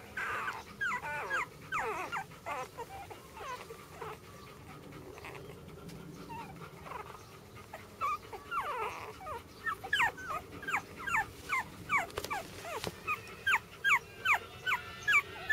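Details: Jack Russell Terrier puppies, a brother and sister, whimpering in high, thin squeaks and yelps. The calls come in scattered bursts that grow into a rapid, regular string of short cries toward the end.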